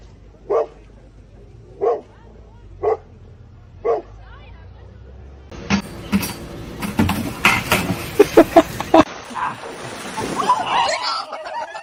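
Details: Dog in a funny pet compilation giving four short, sharp barks about a second apart, followed by clattering noise and a jumble of background sounds.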